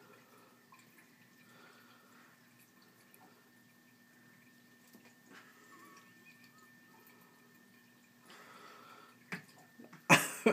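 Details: Quiet dripping and running water from a sink tap, ending with a loud splash or clatter.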